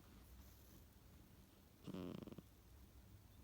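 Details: Sleeping pet cat, Tsukkun, snoring unusually, perhaps talking in its sleep: a single brief, pulsed, rasping snort breaks an otherwise quiet, hushed stretch.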